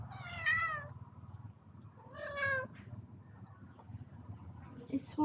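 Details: Two drawn-out, harsh, wavering meows about two seconds apart from a strange-sounding male cat visiting from outside, looking for a female cat and seeming upset; a person speaks quietly between them.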